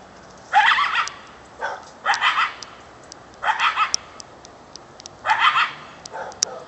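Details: Coyote right behind a back fence at about 4:00 pm, possibly calling its mate, gives rough, hoarse yelping barks under a second long, sometimes breaking into two or three quick yips, irregularly every second or two over a quiet background.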